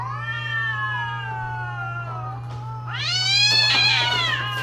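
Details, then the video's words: A mating-season cat gives a long, slowly falling moan that swells after three seconds into a harsh, high, strained wail, with a constant low hum beneath. "creepy Cats Talking"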